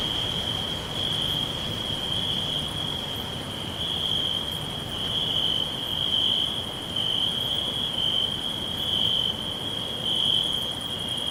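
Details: Forest crickets whispering all around: an unbroken high-pitched trill from many insects, pulsing gently in strength, with faint higher tones above and a low background rustle.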